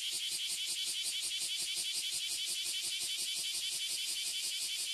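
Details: Loud Oily Cicada and Bear Cicada chorus from one tree in Toyohashi, Japan: an intense high hissing drone beating in fast regular pulses, with no pause from start to finish.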